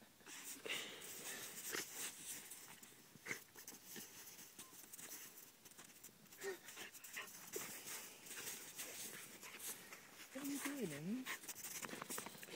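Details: A 3-year-old female Pembroke Welsh Corgi playing in the snow near Angelus Oaks, California, pants rapidly, then gives a brief wavering whine.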